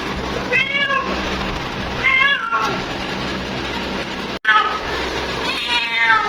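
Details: A female cat calling her mate gives three drawn-out, wavering meows, the first near the start, one around two seconds and the last at the end, over a steady low background hum and hiss.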